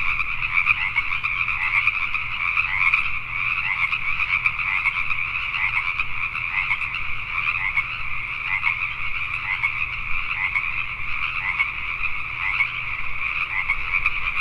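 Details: Pacific tree frogs at night in Richmond, British Columbia, Canada, a crowded chorus of rapid, rasping croaks layered into a continuous pulsing wall of sound with a faint low hum.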